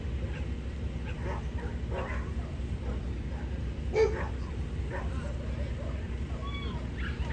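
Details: Indoor dog show in Niigata Prefecture, 11 June 2022, female Corgi in Best of Breed competition; soft yips early on, then one loud bark near four seconds, with crowd chatter and low background drone throughout.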